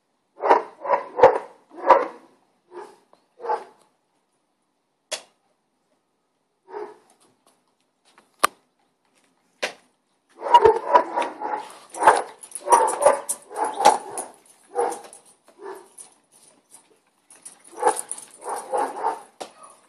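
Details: Barking of neighbouring dogs: a few scattered short barks and isolated knocks early on, then a busy stretch of rapid, overlapping mid-pitched barks from about ten seconds onward, with a faint high whine present.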